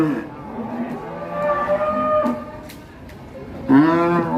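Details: Agitated cattle unloading from a truck, bleeding from the nose; a low drawn-out moo under crowd chatter, then a sudden loud bellow near the end.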